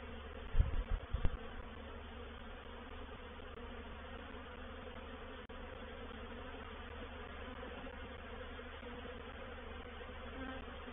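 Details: Honey bee swarm entering a bait hive at Painted Peacock Manor, 04/07/21; a few loud low thumps open the recording before a continuous, even buzzing drone of many bees settles in and holds steady.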